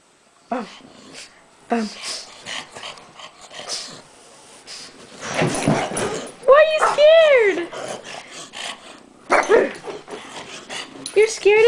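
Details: Two pugs, including Rolex, reacting to stuffed toy monkeys in a room: scattered short yips early, then a pair of high, arching yelps midway and more later, with low grumbling and a woman's voice throughout.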